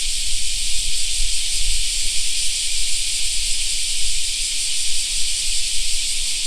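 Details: Cicadas in a park in summer make a steady, sizzling high drone from many insects. A pulsing low rumble, like wind or distant traffic, sits underneath.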